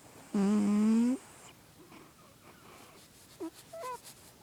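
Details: A healthy sleeping pet cat named Bear lets out one low, buzzy, droning snore lasting under a second that rises slightly at the end, followed by a quiet room with a few faint short squeaks.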